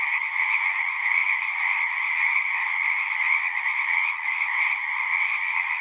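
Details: A continuous chorus of singing frogs from a natural setting: dense, pulsing high trills layered over a lower band, volume gently swelling and dipping but never stopping, nothing else audible.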